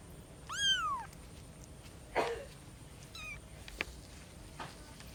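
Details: Single clear descending meow from a cat living with her three kittens, followed by a dull thump, a faint short chirp and scattered small clicks and knocks.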